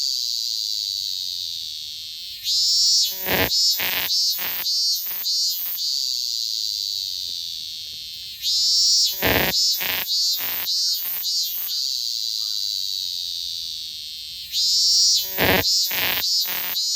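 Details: Robust cicada singing: a continuous shrill buzzing drone broken about every six seconds by loud pulsed phrases of rhythmic, repeated notes, then settling back into the drone.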